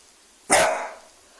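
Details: A young male Dachshund that has just learned to bark sees his own reflection in a fireplace glass screen and gives a single sharp, loud protective warning bark that fades quickly.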